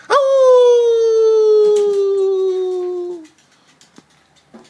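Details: One sustained Beagle howl lasting about three seconds, a pure tone with rich overtones sagging gently in pitch, followed by near-silence with a few faint clicks.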